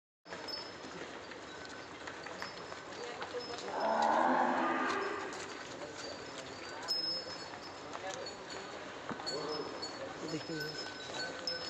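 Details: Sahiwal cow letting out one long, low moo of about a second and a half that swells and then fades, set against a steady background hiss with scattered faint clicks and knocks afterward.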